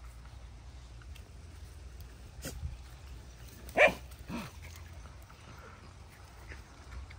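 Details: A dog in the evening gives two short, sharp barks about half a second apart against a steady low background hum.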